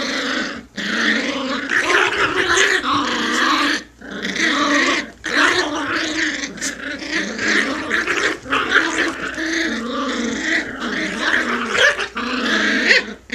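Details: Playful puppy growling, one of a pair of speeds from asleep to full tilt; continuous raspy growls in bursts of one to three seconds, broken by brief pauses, with loud snarling surges throughout.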